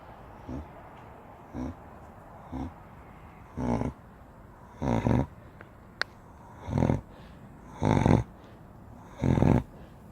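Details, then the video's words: A giant Spanish Mastiff dog sleeping and snoring: deep, rough breaths repeat about every second, each a broad rasping burst, growing louder and longer toward the end, with one sharp click midway and a steady low background hum. "Вы знаете как храпит гигантская собака"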